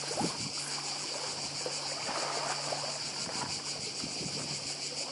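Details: Seaside cicadas on Badija island in Croatia keep up a constant shrill, pulsing buzz, with water splashing and a faint low engine hum in the background.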